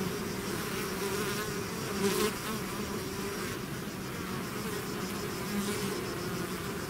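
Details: Steady swarm buzzing from bees out of their hive, a deep continuous drone with occasional louder close passes by single bees, one stronger around the middle.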